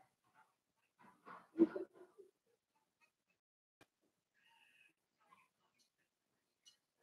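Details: Cavalier King Charles Spaniel puppies, four weeks old, in Daisy's puppy pen indoors. One short cluster of whimpering yelps rises and fades within a second, followed by near silence broken only by faint clicks and a thin high squeak.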